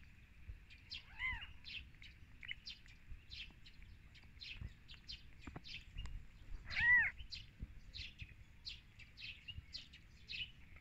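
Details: Kittens on their first day of life after birth, two short arched mews a few seconds apart, soft against steady chirping of small birds throughout.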